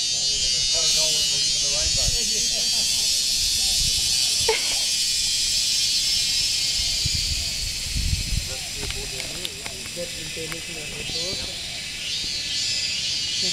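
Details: Mating chorus of insects at Wat Phrathat Doi Suthep on a mountain in Chiang Mai, northern Thailand, females calling males: continuous piercing high-pitched shrilling with a pulsing texture, while a man talks loudly over it.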